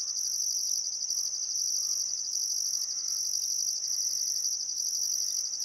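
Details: Crickets chirping on a still summer afternoon at sunset beside the Barcoo River in Welford National Park, Outback Queensland, Australia: a dense, continuous high shrill trill with a second pulsing band in bursts, faint bird calls underneath.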